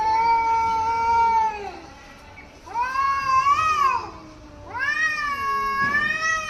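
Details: Angry domestic cat in Hyderabad making weird sounds at another cat: three long, drawn-out wailing yowls, the first steady then sagging, the next two swelling and bending up and down in pitch, with quieter gaps between them.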